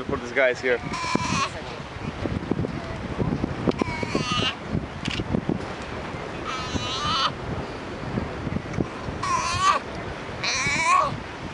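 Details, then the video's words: A baby sea lion calls to its mother: a run of wavering, bleat-like cries, each under a second long, come in bursts separated by pauses, over a rough background of wind and low rumbling noise. "Cute Baby Sea Lion talking to Mom!"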